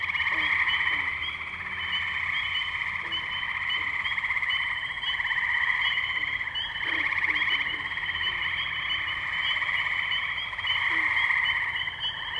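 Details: Tree frogs calling at the Firestone Park wetlands in Columbiana, Ohio, on May 6, 2023, recorded with a Zoom H2n: a dense, unbroken chorus of high trilling voices that swells and eases, with scattered lower clucking notes underneath.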